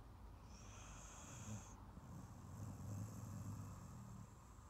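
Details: Sleeping shelter dog Lizzie, a Staffordshire Bull Terrier and Rhodesian Ridgeback mix, snoring while she dreams after a long walk and meal; low, gently swelling snore growing louder toward the end, a thin high tone early on.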